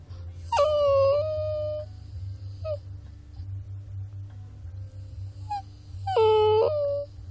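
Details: Puppy giving two long, high whining cries that swoop down and then hold steady for about a second each, with a brief squeak between them over a low steady hum.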